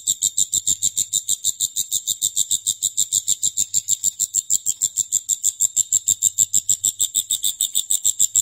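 A grasshopper chirps steadily: dry, high, raspy pulses repeated several times a second.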